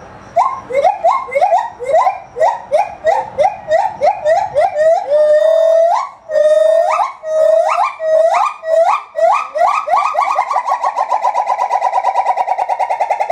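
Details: Gibbon at Maruyama Zoo singing while brachiating through branches with its long arms, recorded 4 September 2010; loud whooping notes rising in steps, repeated in quickening bursts that settle into a rapid even trill of hoots, carrying across the zoo.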